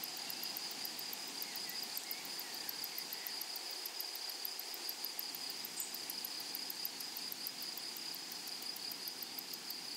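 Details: Meadow grasshoppers singing among flowers: an unbroken shrill hiss-like chorus with a sustained bright tone and fast regular ticks above it, steady loudness throughout, wide open rural soundscape.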